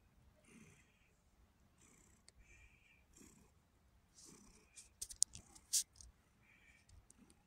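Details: Red tabby cat named Pumpkin, kept indoors and known for purring loudly, gives a quiet, throaty purr that swells and fades with each breath, interrupted by a few sharp clicks and taps near the end.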